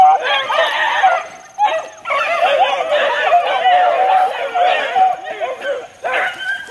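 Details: Several young Beagle pups, four months old, out in the wild, their dense overlapping yelps and bays merging into an almost unbroken, shrill pack chorus with brief gaps.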